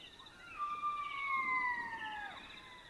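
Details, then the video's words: One long drawn-out black-backed jackal howl at night in the Botswana bush, a smooth wailing tone that slowly descends over about two seconds, ending with a short downward slur, against a faint background hiss. "Jackal Sounds - Howling & barks of Black-backed Jackals at night in Africa"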